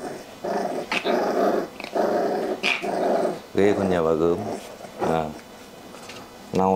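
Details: Kennel-raised Rottweiler puppies in Hanoi, Vietnam, said to growl like tiger cubs, give three sustained gravelly growls over about three seconds. A woman then speaks in Vietnamese with short voiced phrases in an indoor room.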